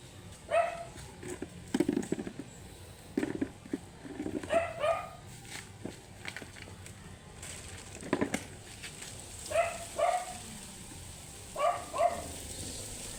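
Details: Matted Shih Tzu barking angrily during grooming: short sharp barks, often in pairs, spaced a few seconds apart, with handling thumps and clatter between them.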